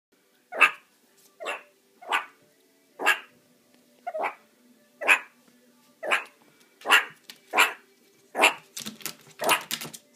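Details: A female meerkat, unhappy after a trip to the dentist, gives harsh, barking warning calls, one roughly every second, quickening into rapid bursts at the end.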